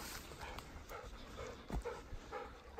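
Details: Golden Retriever, ten years old, walking toward a field, panting in quick rhythmic breaths roughly every half second, with faint rustling and a man's voice nearby.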